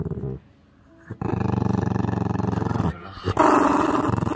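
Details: A ten-year-old Maltese dog growling indoors while siblings argue: a low, rough, pulsing growl sustained for about two seconds, then resumed. People talk nearby.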